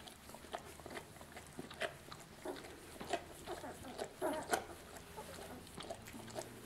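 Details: Two-week-old puppies of the dog Lucy nursing at their mother: soft, short squeaky whimpers and grunts come in irregular bursts, loudest around the middle, over faint rustling and a low steady hum.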